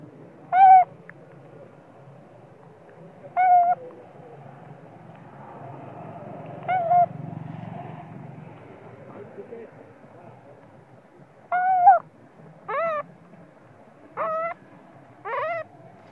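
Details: Sleepy infant monkey screaming and crying in anger at its mother: short, piercing, harmonic squeals, three spaced about three seconds apart, then four in quicker succession near the end, over a quiet low murmur.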